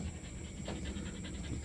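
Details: A six-month-old agouti Siberian Husky panting: rapid, steady, breathy puffs of sound repeating several times per second over a low background rumble.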